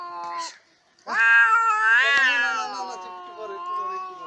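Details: Cats fighting: after a short opening yowl, a long, loud, harmonic-rich caterwaul rises into a strained wavering howl around its middle, then trails off into a drawn-out lower moan.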